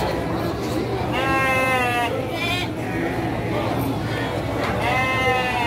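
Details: Ewes of the Garut breed bleat at a busy livestock market in Garut: three quavering, nasal bleats spaced a couple of seconds apart, with people chattering and a steady low hum underneath.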